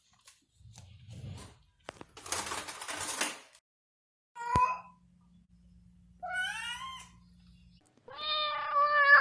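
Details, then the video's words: Domestic cat at play, giving a few short falling meows among rustling and thumping noises, a sharp click, and a low steady hum; a louder harmonic meow closes the sequence. "Som de gato - Gato brincando - Gato miando"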